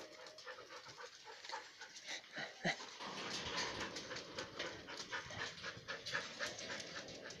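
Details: Siberian Husky named Mishka, kept in an enclosure and climbing its mesh like a mountaineer, panting quickly and steadily, roughly four breaths a second, over scraping and rattling from the enclosure.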